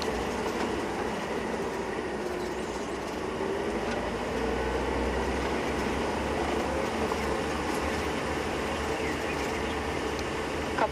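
A steady rumbling mechanical noise, like a passing train or vehicle, with no animal calls.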